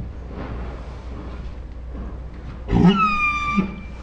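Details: Pet Saint Bernard named Ours making a dinosaur-like 'talking' noise: after quiet low background rumble, a short burst of under a second blends a low groan with a thin, high whine that slides gently downward.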